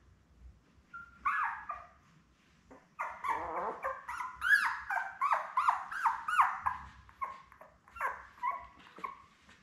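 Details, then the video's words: Newborn Labrador Retriever puppies with their mother Belle, seven pups born May 24, 2021; rapid overlapping squeals and yelps, arching up and down in pitch, several pups crying together for most of the stretch. "Lab Puppies LIVE STREAM Puppy Cam"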